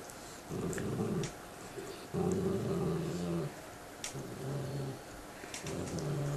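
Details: Two pet dogs growling at each other while eating bones indoors: low, rumbling growls in sustained bursts of about a second, separated by short pauses, with faint chewing and rubbing noises between.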